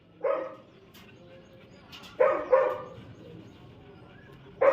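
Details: Labrador Retriever puppy in crate training, giving four short, sharp barks: one near the start, a quick pair midway and one at the end, separated by quiet pauses.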